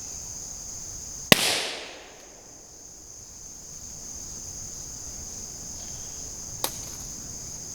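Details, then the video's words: Unidentified forest insects in autumn woodland make a steady, high, thin chirping drone that runs unbroken through the whole stretch, while a sharp firecracker bang bursts out and reverberates, followed later by a second short snap. "So you can hear a kind of ambient, high frequency chirping drone of all the insects in the forest."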